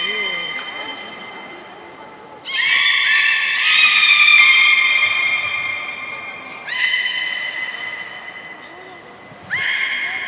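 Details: Aquarium beluga at Port of Nagoya, Japan, 30 March 2019, feeding on fish then playing: a quiet steady tone, then loud buzzy harmonic squeals that rise sharply and hold, repeated three times, with faint voices in the background.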